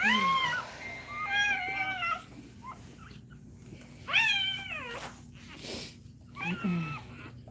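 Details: During a Cane Corso labour, a dog cries in repeated plaintive wails, each bending up and then sliding down, about four cries spread over several seconds with quieter pauses and low room noise between.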